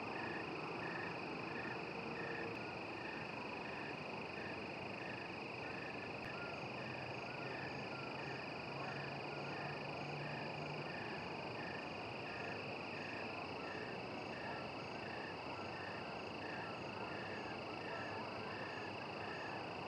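An American toad gives a long, steady, musical trill over a constant high insect-like drone.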